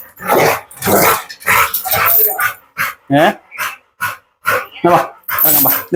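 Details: Pit bull dog in a dog challenge, with a string of loud, harsh barks in quick bursts, several closely spaced, broken by short pauses, and human voices mixed in.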